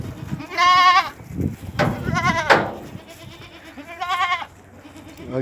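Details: At a goat farm in Ajmer, Rajasthan, India, three distinct quavering bleats ring out about every one and a half seconds, separated by thumps and low background noise.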